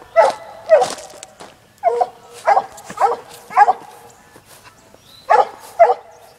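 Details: Six-month-old female Black and Tan Coonhound on a laid coon trail, barking in a steady series of about nine short, bright, ringing barks, some paired, with brief pauses between groups and light rustle underneath.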